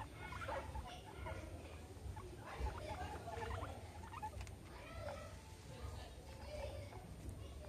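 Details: Pet guinea pigs Meadow and Sandstorm at playtime with a soccer ball and an American football; short curved squeaky chirps and chutters repeat through the clip over a steady low rumble.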